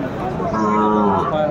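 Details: Sahiwal bull calf at a cattle market where farmers buying for Sylhet bargain, 11 January 2025; one drawn-out, steady moo with stacked harmonics, backed by crowd murmur and voices.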